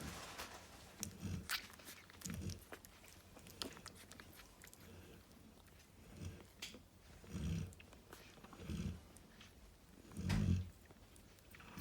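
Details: Snoring Cane Corso named Narla, resting with her babies: a steady run of low, husky breaths about every one to one and a half seconds, with a stronger rumble near the end and scattered clicks and shuffling.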